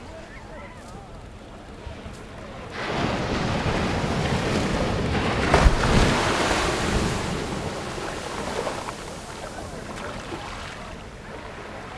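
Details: Waves breaking on a beach with steady wind buffeting the microphone, the surf swelling to a loud rush midway before easing back, with no animal voice heard.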